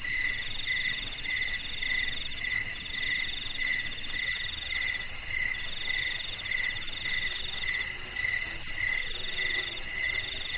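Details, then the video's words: Nighttime garden crickets, shrill pulsed chirps repeating about twice per second in a steady rhythm, overlaid by a quicker, higher beaded trill, with nothing else prominent. "Suara Jangkrik di Taman Malam Hari | Relaxing Cricket Sounds in a Night Garden"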